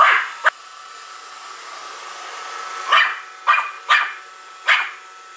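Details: A one-year-old pet Pomeranian confronting a Roomba cleaner: two quick yaps, a lull filled by the vacuum's whirring hum, then four more sharp barks in close succession.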